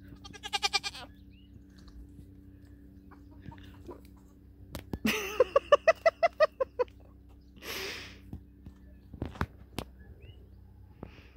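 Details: Nigerian Dwarf dairy goats meeting a buck for breeding on New Year's Eve; a short pulsed bleat opens, then a longer quavering, stuttering bleat midway, with a breathy noise, clicks and faint rustling.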